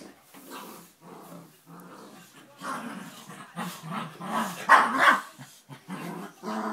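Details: Five-month-old Dogue de Bordeaux puppy playing, giving rough, gruff barks and growly grumbles in quick uneven bursts, loudest near the end, with a person's voice now and then in the background.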